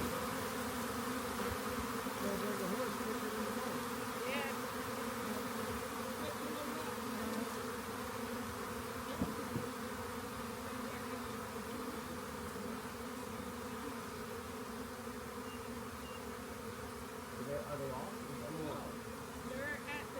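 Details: Swarm of honey bees clustered on the upper part of a walk-in door, found beside a rain gauge and being collected; a dense, steady droning hum fills the whole stretch, layered and unbroken, with a few faint clicks.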